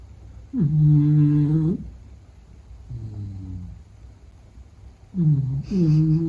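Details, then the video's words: Meta the Beagle snoring in sleep: loud droning snores with stacked harmonics, a quieter breath between, then a double snore at the end, deep and steady in pitch. "比格犬睡觉白噪声 Snoring"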